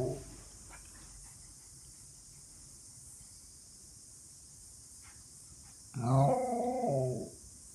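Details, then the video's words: Excited pet Miniature Schnauzer expecting food or a walk. Quiet room noise and faint knocks at first, then one loud, harmonic, wavering bark-howl lasting about a second and a half near the end. "Miniature Schnauzer barking"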